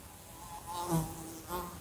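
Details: Indoor fly near a lamp giving a soft, faint wavering drone that swells briefly in the middle and again near the end.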